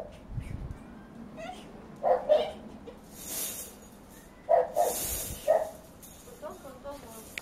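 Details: A male Bull Terrier named Mayuyu gives short, mid-pitched barks in pairs, with pauses between each burst.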